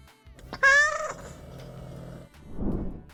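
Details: Cat (Felis catus), purring meow: signals a very happy, possibly hungry cat.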